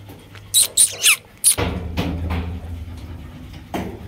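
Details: Kanni puppies born on 10 September 2022 near Krishnapuram, Rajapalayam, give a quick run of thin, high, squeaky whimpers, one sliding downward in pitch.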